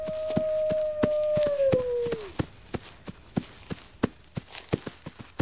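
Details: A single wolf howl, level and drawn out, that sags downward after about two seconds. Steady, rhythmic clicking taps follow once the howl fades.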